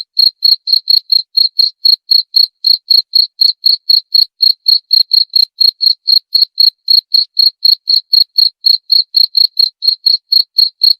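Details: Steady cricket chirping for driving rats away, short sharp pulses repeating about four times each second across the whole stretch, with a quiet, empty background.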